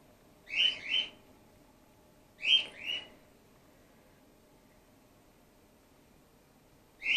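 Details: Gwickle, a grey-headed flying-fox pup in care and bottle fed while her concussed mother recovers, gives high squeaky calls in paired bursts, each pair about two seconds apart, then a pause before another begins.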